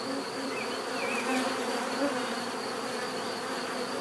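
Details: Bees buzzing in a natural setting, a dense steady hum layered with several droning tones, a high thin whine held throughout, and brief faint chirps of other birds in the background.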